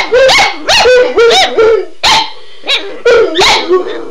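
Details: Two dogs named Shelby and Shiloh, worked up by the words "Run Guy run", fire off clipped, yodel-like yips and barks in quick bunches with short pauses between them.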